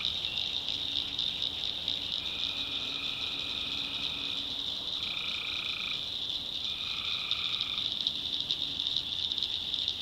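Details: Night chorus of tree frogs in a swamp in the North Carolina backwoods, with three steady buzzing trills of about two seconds each rising out of a dense, unbroken high-pitched drone.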